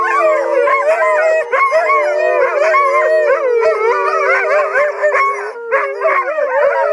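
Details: Captive wolves, part dog by ancestry, rescued and kept at the Shadowland Foundation, February 2013, howling together in a choir; many overlapping wavering howls weave and slide in pitch, steady and loud throughout.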